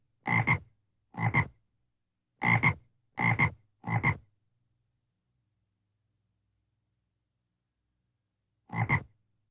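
A frog calls with brief, raspy croaks, each split into two quick pulses, five in close succession. After a silent gap of several seconds a single matching croak follows, with nothing else heard.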